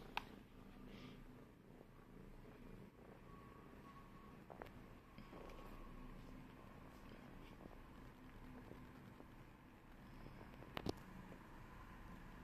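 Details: Domestic cat Lemon purrs continuously in a low, even rumble while walking on a person's shoulders indoors, with faint rustles and a couple of short clicks in the background.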